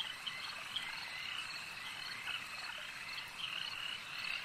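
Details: A crowd of frogs at a lake keeps up a constant high-pitched rasping chorus, a few individual chirps rising above it now and then, and the whole chorus growing slightly louder toward the end.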